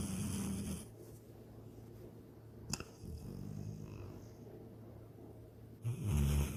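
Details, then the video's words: Sydney, a pet dog, snoring while dreaming of chasing a rabbit and swimming in a lake; low rumbling snore at the start and end, with a quieter breathy stretch and a sharp click in between, recorded indoors. "My SNORING DOG SYDNEY!"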